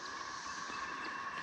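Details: Cicadas give a steady, unbroken droning buzz with a faint higher hiss above it, heard near a creek crossing by Lee Mine on the River to River Trail in Shawnee National Forest, southern Illinois.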